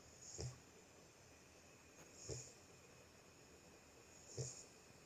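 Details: Sleeping Boxer puppy snoring: short breathy snorts with a low rumble and a hissy upper edge, coming about every two seconds, three in a row, over a steady faint background hiss.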